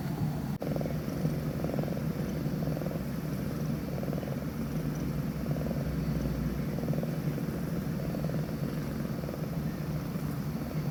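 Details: Scottish Fold kitten asleep, snoring: soft, rhythmic breathy bursts repeating roughly every 1.3 seconds over a steady low background hum, with one sharp click near the start.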